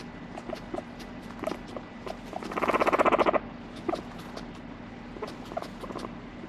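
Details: Guinea pig Moru-chan, a pet, gives a single short burst of fast, evenly pulsed squeaky notes lasting under a second, set among scattered light clicks and rustles indoors.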